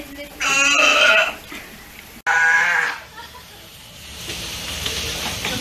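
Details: Hinata-kun, a California sea lion pup almost one year old at Ise Sea Paradise aquarium in Japan, chasing favourite staff at the fish-cutting area for attention and play. Two loud, hoarse, harmonic bleats, the first about a second long, the second shorter, then steady background hum.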